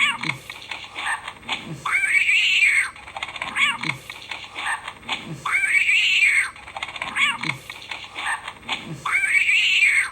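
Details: Cat meowing in a steady cycle: three long, bowed wails spaced roughly four seconds apart, separated by quick downward chirps and soft tapping noises.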